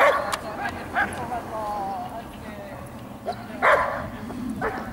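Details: Giant Schnauzer letting out a few scattered harsh barks, the loudest near the end, while a person talks steadily underneath.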